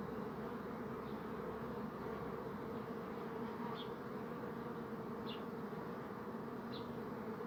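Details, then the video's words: Bees buzzing as they go about their business: a steady, dense low hum with strong even tones and a constant level, with faint short high chirps every second or so in the background. "Bee Buzzing Sound"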